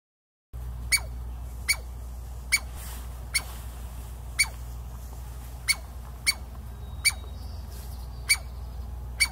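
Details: Douglas squirrel (chickaree) in a Pacific Northwest forest, barking to warn of danger or defend its territory. After a brief silent start come about eleven sharp, explosive barks at a steady pace, each with a quick downward-sliding tail, over low steady background rumble.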